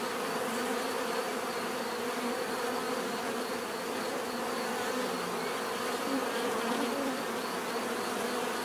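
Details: Bees producing a thick, constant buzz, low droning tones with occasional brighter wing-hum swells and a thin high whine overhead.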